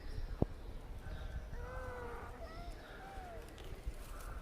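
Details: Kittens calling softly with several short, thin meows overlapping in the second half, amid low rumbling background noise and a sharp click near the start.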